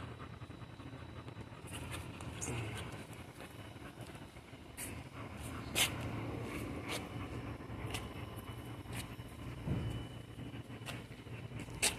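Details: Low traffic rumble with scattered clicks and knocks is heard, and no clear animal voice.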